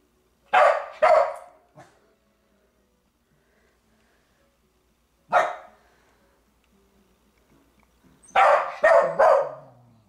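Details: Indoor pet dog barking at a game character: a pair of sharp barks, a lone bark near the middle, then a rapid burst of three barks near the end, with quiet gaps between, in a small quiet room.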